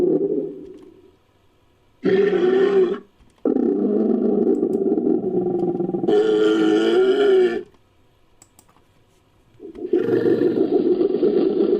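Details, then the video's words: A rhinoceros groans in long, loud, raspy bursts lasting one to four seconds, separated by short silences; the tone is low and harsh with a buzzing, throaty edge. "Rhino Groaning"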